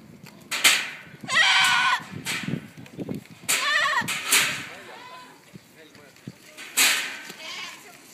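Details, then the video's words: Goats screaming in Tallinn Zoo, Estonia: several loud, harsh, wavering bleats of about a second each, some quavering, with quieter gaps and background chatter between the cries. "Kitsed kisavad / Goats screaming"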